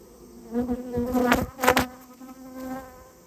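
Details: Japanese honey bees from a colony nesting inside someone's storehouse, being removed at the owner's request: a loud, steady-pitched harmonic buzz that swells and fades as bees fly close past, with two sharp louder bursts mid-way.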